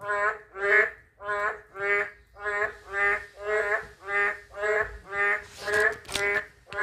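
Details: Loud, bleating croaks of a narrow-mouthed toad repeat almost twice per second, about a dozen in all, with a short burst of noise near the end.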